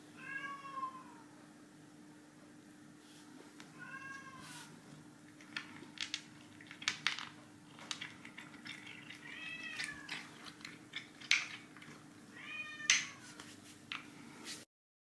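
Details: Chai, a ginger tabby cat, meows repeatedly while taking on a food-guessing shell game indoors: short arched meows every few seconds, mixed with sharp taps and clatter from the game cups and a low background hum.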